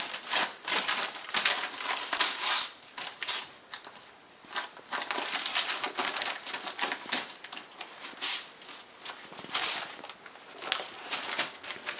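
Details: Dry crinkling, tapping and scraping noises come in irregular bursts in a small indoor room, with no animal voice heard.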